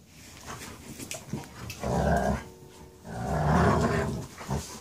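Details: Dogs, a pair of males including one named Seneca, wrestling indoors over who gets the couch; two low rumbling growl bursts, each about a second long, with faint rustling between them.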